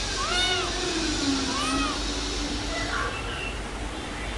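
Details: Domestic cat giving two clear meows, each rising then falling in a short arc, followed by fainter mewing over a steady background hum.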